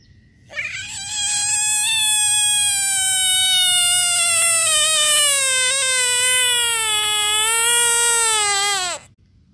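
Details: Frog from a compilation of screaming frogs giving one long, loud, harmonic scream lasting about eight seconds. The pitch starts high and slowly slides downward before it cuts off abruptly. No other sounds are clear.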